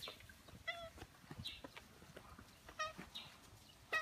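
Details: Two stray ginger tabbies greet a familiar person in their territory within a housing area, giving a series of brief, bright meows at irregular intervals, some rising, with faint rustling and taps between calls.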